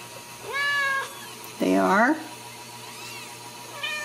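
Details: Ragdoll kittens raised indoors without cages at a cattery in central Kansas, giving clear harmonic meows: a steady mew, then a louder wavering, downward-bending cry, a faint rising call, and a short final mew in a quiet room.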